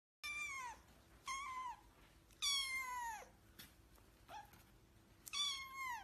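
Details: Domestic cat meowing in repeated harmonic calls, each about half a second to a second long with a falling end, spaced a few seconds apart, over a faint steady background hum.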